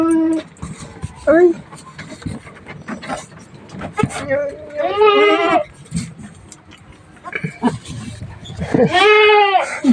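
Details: Goats with newly born kids, two males and one female, on a small farm: quavering, tremulous bleats around five and nine seconds, plus shorter bleat fragments, mixed with people talking and laughing nearby and handling noises.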